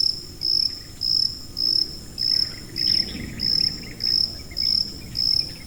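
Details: Shrill, even cricket chirps used to mask tinnitus, nine short pulsed bursts at a regular pace of nearly two per second, with a quiet hum and low noise in the background.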